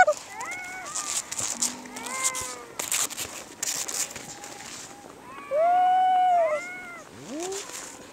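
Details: Harp seal pup described as teary-eyed and sniffling, giving tonal, wavering cries that rise and fall, with one loud sustained bleat near the end, amid clicks and background noise.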